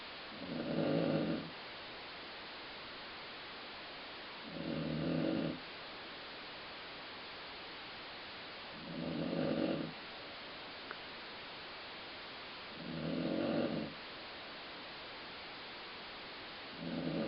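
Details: Snoring from Colline Ford, a dog whose sleeping rumble is compared to a growling stomach. Five regular, throaty, buzzing low snores, each roughly a second long, recur about every four seconds, with one small click in a quiet gap.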